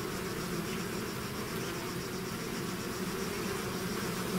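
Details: Swarm of bees leaving the hive: continuous low buzzing drone, steady in loudness, with a faint higher whine above the main hum and no other sounds breaking through.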